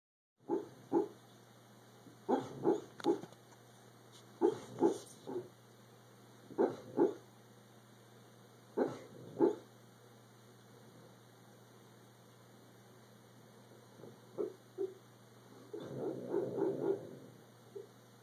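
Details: Dog barking in its sleep: soft muffled woofs in short clusters of two or three, spaced a few seconds apart, then a quiet stretch and a louder run of snuffling barks near the end; steady electrical hum.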